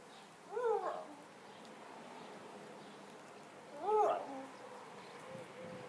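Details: Two-year-old pet whippet barking at a broom in play; two short, soft, rising-falling yelps about three seconds apart over a quiet indoor background.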